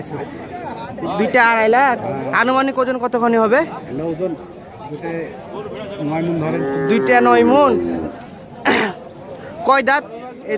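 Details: Cattle at a crowded Indian cow market bellow repeatedly over ten seconds, with loud, drawn-out moos that rise and fall in pitch, separated by short pauses and background chatter.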